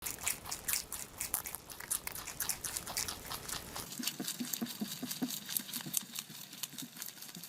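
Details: Rabbits eating: rapid dry crunching and nibbling clicks, closely spaced and irregular, with a brief quieter stretch of softer chewing in the second half.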